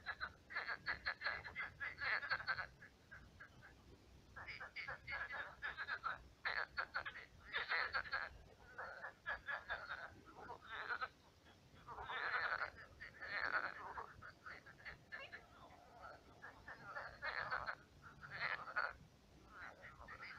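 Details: Frogs at night in a shrunken, swampy pond with many frogs; loud rattling croak series and laughing, chuckle-like bursts repeat every second or two, several animals answering one another.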